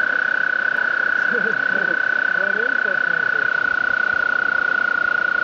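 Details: A frog gives a long, steady, high-pitched trill holding one even pitch, on the Appalachian Trail on May 11, 2011.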